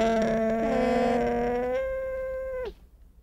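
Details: Long, level nasal call from a llama, with two overlapping voices at first, held for about two and a half seconds and ending abruptly with a short downward slide.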